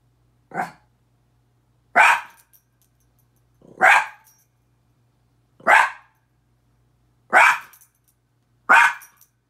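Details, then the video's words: Miniature Pinscher named Petey, a pet dog, barking at his own reflection in a mirror; six sharp, bright barks spaced roughly every one and a half to two seconds, with quiet pauses between and no other sounds. "Minature Pinscher barking"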